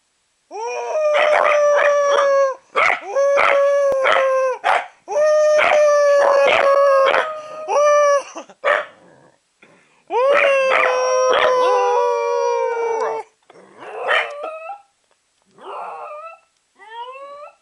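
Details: Two Corgis, induced to howl by their owner, howl in long, wavering tones, sustained and then breaking into shorter yips.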